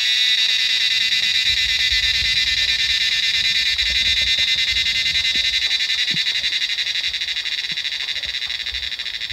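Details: Cicadas call en masse from trees in the Himalayan mountains in the monsoon. Their continuous, shrill, rapidly throbbing buzz stays loud throughout, easing slightly toward the end over a soft low rumble.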